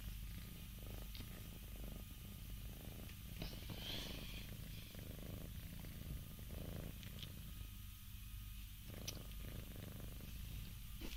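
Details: Purring from four yawning Scottish Fold cats: a continuous deep, pulsing rumble at an even level, with a few faint brief higher rustles and clicks over it.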